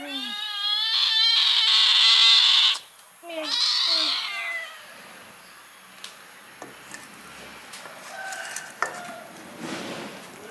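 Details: Hungry kittens fed chicken meat give a loud burst of high, drawn-out meows for about three seconds, then a shorter round of cries, before it falls quiet except for faint clicks and rustling.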